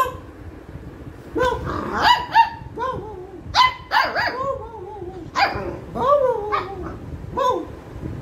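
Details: A Labrador Retriever puppy, angry during play time and barking training, gives a series of high, yelping barks with some whiny, rising-falling tones.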